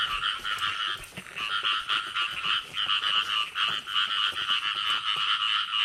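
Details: A dense frog chorus in the early rains of the year, where frogs are being caught: rapid, pulsing nasal trills repeating several times a second in a steady wall of sound.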